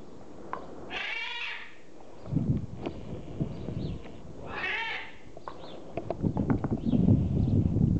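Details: Two-month-old Border Collie puppies, offspring of Pam and Sky, playing; two high, harmonic yelping whines about three seconds apart, each lasting under a second, with scuffling, thumping play noises and low rumble between them.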